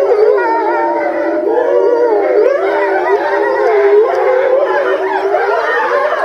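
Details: Several grey wolves in a zoo enclosure at Tama Zoological Park, filmed in November 2013, howl in unison: long wavering tones rise and dip in looping curves, layered voices blending into one steady, full chorus.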